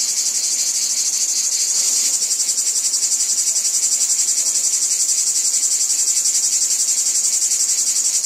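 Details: Cicadas in a wheat field give a piercing high drone that swells slightly near two seconds, then pulses steadily about twice a second for the rest.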